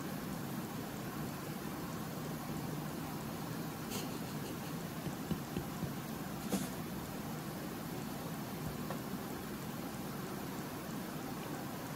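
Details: Steady broadband hiss, like rain or distant traffic, fills the room, broken only by two faint clicks; no animal voice can be picked out.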